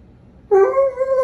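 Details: An Alaskan Malamute gives a drawn-out, tonal 'woo' that rises slightly, asking to be let outside to lie on the driveway because it's too hot indoors.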